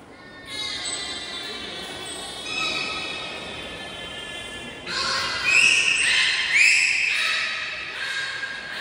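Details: Captive belugas, all animals joining a training session at Port of Nagoya Public Aquarium on 16 November 2024. Layered harmonic squeals and sustained whistles run throughout. They swell after five seconds into brighter overlapping upward whistles, with hall-like echo.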